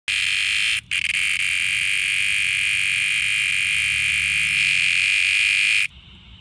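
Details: In the evening on a backyard patio, a hand-held cicada that had been found upside down in distress gives a loud, steady, high-pitched buzzing drone that breaks off only briefly.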